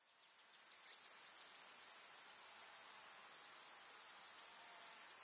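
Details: Grasshoppers chirring in a summer meadow with wildflowers in the countryside: a steady, dense, very high hissing trill. It fades in at the start, then holds an even level with faint ticking overtones beneath.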